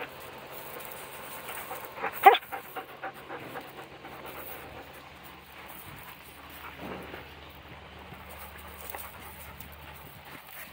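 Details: A dog playing in a yard pants in quick, breathy rhythmic puffs, with a sharper scuffling burst early on and soft rustling movement throughout.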